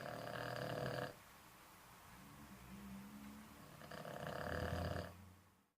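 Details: An old Boston Terrier snores in two loud, rasping, rattling breaths with a softer wheeze between them.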